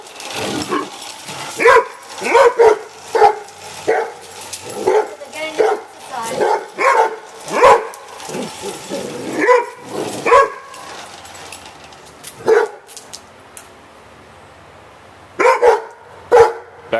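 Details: Two Rhodesian Ridgebacks, trying to control a radio-controlled pickup truck, bark in dense clusters of deep, rough barks mixed with human talk, then go quiet for a few seconds before a final few barks.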